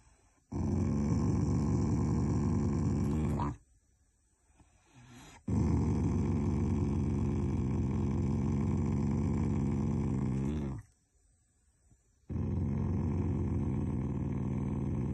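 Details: A Shiba Inu growls fondly at its owners, not angry at all: three long, low rumbling growls, each several seconds long, separated by brief quiet gaps.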